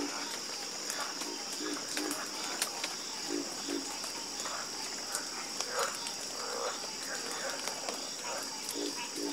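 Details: Frogs croaking in a chorus at night, scattered short low croaks and pulsed calls over a steady high insect-like drone, with faint ticking clicks throughout.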